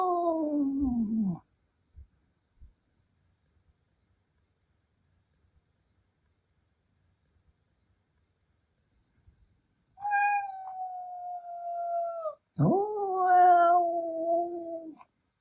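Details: Indoors, Milky, a chatty male Ragdoll cat, utters a short falling wail, then after a long pause two sustained level howls of about two seconds each, roughly wolf-like, reportedly angry at having his meow imitated.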